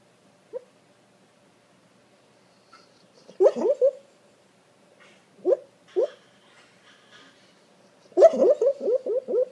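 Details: English Springer Spaniel mix dreaming in his sleep, giving muffled, soft yips and whimpering woofs in short bursts, ending in a rapid run of stifled barks; quiet indoor room, a person speaks softly afterward.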